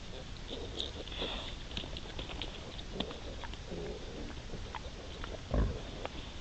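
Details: Wild boar sow with her three striped piglets, filmed 5 September 2020: soft, scattered low grunts and snuffling bursts, mostly short, with faint high ticking and a steady background hiss.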